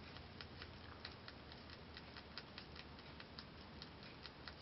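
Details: Momo, a six-month-old female Holland Lop rabbit, chewing timothy hay; rapid, fairly even crisp crunches and ticks, a few per second, over a constant low hum.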